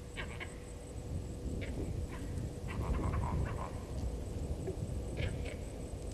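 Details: Vervet monkeys calling in alarm as the male leopard Hosana moves past Gowrie dam, Djuma Game Reserve, South Africa, 16:52, 08/04/19; clusters of quick harsh chirps, loudest midway, over low rumbling noise.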